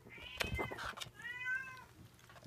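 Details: Munchkin kitten, 59 days old, indoors: two drawn-out, high mewing meows, the first bending up then down, the second steadier and slightly falling, with soft clicks and rustling between them.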